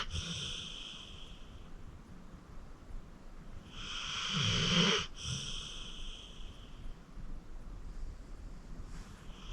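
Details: Acorn, a 14-year-old rescued pit bull, asleep with quieter breathing; one clear rasping snore swells mid-clip and breaks off, framed by fainter breathy snores at the start and end.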